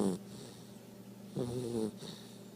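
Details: Two-month-old blue Great Dane puppy snoring during a morning nap indoors: a short snore at the start, then one longer, louder snore with a rough, buzzy low tone between quiet, steady breathing.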